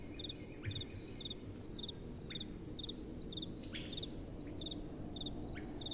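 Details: At night, crickets keep up a steady chirp, each call a quick cluster of high ticking pulses about every half second, while soft wind murmurs below and thin descending notes pass occasionally.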